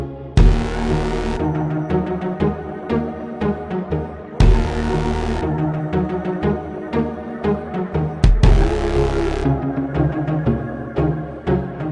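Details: Dark electronic music with booming low hits and sweeping high bursts, with no animal voice.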